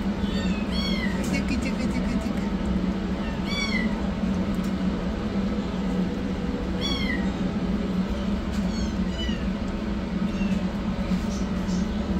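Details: Rescued yellow kitten running for food, giving high, thin meows that bend downward, about five calls spread across twelve seconds, over a constant low droning hum and scattered clicks.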